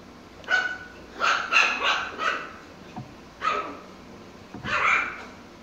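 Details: Mikey the Pomsky, at play with his toys, gives a series of mid-pitched barks, several close together and then two spaced ones, over a low steady background hum.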